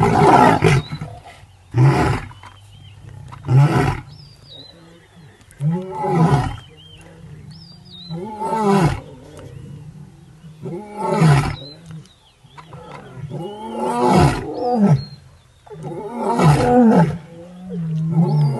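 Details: Several lions roar together in Maasai Mara's Paradise plains in March 2023: a six-male coalition with the Paradise pride at a hippo kill, after dominant aggression. Deep groaning bursts repeat every couple of seconds in an overlapping chorus.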